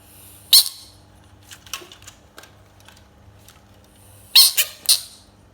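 An American bullfrog lets out sharp, shrill screaming bursts, one early and then a quick double near the end. The cries are raspy and high, far from the deep croak this frog usually makes.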